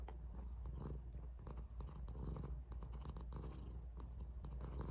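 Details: Domestic cat purring while kissing a person indoors; a steady, low rumbling purr with fast, even pulses runs throughout, with faint rustling and soft clicks over it.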